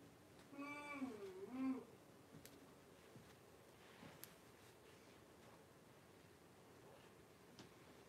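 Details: Blenheim Cavalier King Charles Spaniel puppies, a litter of five born around New Year's to Paris and Spike, in an indoor puppy pen with their mother. Two short harmonic squealing whines near the start, rising then falling, followed by a quiet room with faint clicks.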